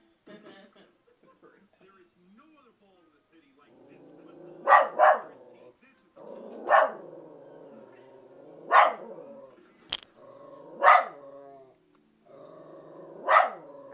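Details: Pet dog barking at a movie on TV: after soft background film sound, a double bark, then single sharp barks roughly every two seconds, with a brief click between them and the soundtrack humming underneath.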